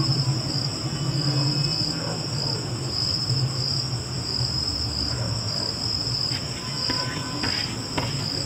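Crickets trill steadily in a high, unbroken ring over a low background rumble.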